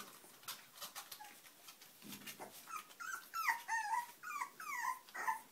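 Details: Puppies in a small room: a quiet start of rustling, then a run of rising-and-falling whines and yelps, several per second, over light tapping.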